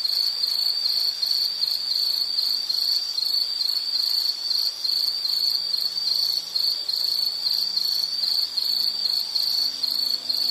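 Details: Insects in a calming nature soundscape: a high, continuous pulsing trill with rapid regular beats, steady throughout. Faint low hums sit underneath.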